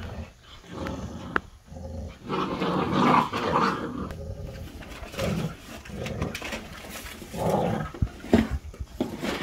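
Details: A mother dog teaching her puppies, growling in long low rumbles that swell and fade, broken by short higher whines and yips; indoor room sound.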